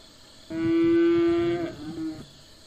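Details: Domestic cattle on a farm giving a loud, rich, nasal moo of about one second held on one even pitch, then a shorter, softer second low note trailing after it.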